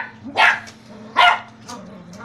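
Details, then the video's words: Poodle-beagle mix barking twice, loud and sharp, nearly a second apart, followed by a fainter yip over a low background hum. "Poogle poodle beagle"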